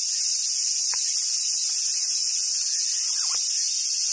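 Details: Summer cicadas at Awajishima Monkey Center in Sumoto, Hyogo, Japan, where wild Japanese macaques gather: a dense, steady high-pitched hiss fills the air throughout, broken by two brief sharp lower sounds and a faint low hum.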